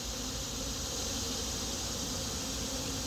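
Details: Busy colony of Western honey bees, a swarm rehomed on 7/15/25 and settling into a new hive while being fed mushroom-tea sugar syrup; continuous even droning of many bees, a low hum under a bright airy hiss, no pauses.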